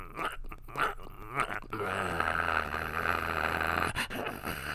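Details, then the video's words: After a few clicks and snuffles, a puppy breaks into a sustained low rumbling growl of about two seconds, steady and raspy, ending with a faint scrape. "Puppy Growling Sound | Puppy Growling Sound Effect | Puppies Growling"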